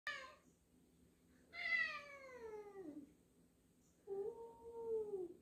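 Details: Two house cats meeting indoors, black cat Jill unsure of a new black-and-white cat; harmonic meows, one long falling cry near 1.5–3 seconds, a short opening mew and a steady drawn-out meow at the end.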